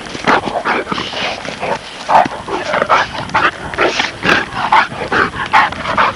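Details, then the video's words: Presa Canario and Neapolitan Mastiff pups playing together: rapid, irregular high yaps and short barks, about two per second, overlapping in a busy, excited stream with little pause. "Presa Canario and Mastino Napolitano pups playing"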